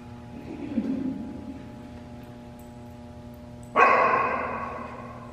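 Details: At a C-WAGS scent detection trial in Fraser, Michigan, a dog that happens to be barking gives one abrupt loud bark near the end, after quiet murmuring and a steady electrical hum.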